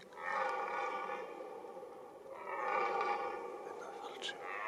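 Two prolonged, rasping roars from a red deer stag, each lasting well over a second with a rough, throaty quality. These are rutting calls of the breeding season, with faint human voices nearby.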